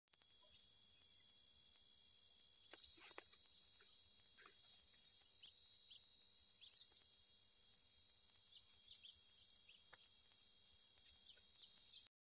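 A cicada gives a steady, high, shrill buzz that drones on without a break.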